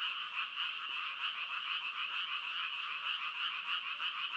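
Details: Frogs calling in a dense, unbroken chorus of fast, rasping pulses that blur into a steady high trill, with no other sounds.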